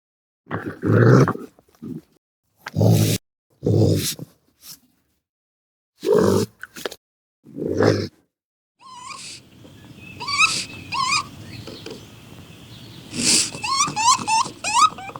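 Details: Raccoon: a series of short, harsh, low growling bursts with pauses between them, then rising whistled chirps repeated over a steady hiss of background noise.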